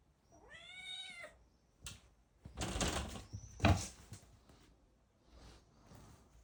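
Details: A small black kitten in Germany playing with its cat cave gives one clear meow, rising then falling, followed by thumps, scuffling and rustling as it romps indoors.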